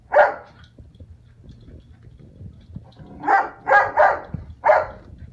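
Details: A foster puppy plays a chasing game with the cat indoors, giving short yappy barks: one at the start, then a quick cluster of four over about a second and a half, with soft scuffling between them.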